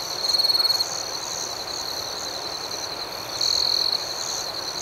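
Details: Night crickets give a continuous high, thin ringing with pulsed chirps, broken by two louder buzzing trills, one early and one about three and a half seconds in; calm rural outdoor ambience.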